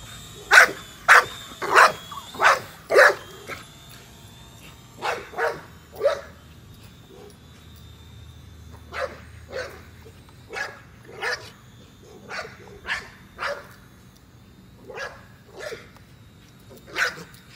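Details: Nola, an American Bully, pursues a drone with a long run of about twenty sharp barks, rapid at first, then more spaced and softer, a faint drone tone audible throughout.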